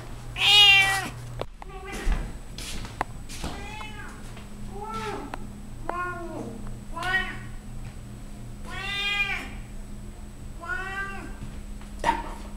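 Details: Fourteen-year-old female Siamese cat, loud and talkative indoors as she shows off her belly, repeating about nine insistent, wavering meows every second or so, some short and some drawn out, against a low electrical hum.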